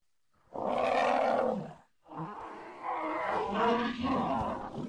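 An elephant gives a loud, harsh roaring bellow, then breaks into rough, grumbling rumbles.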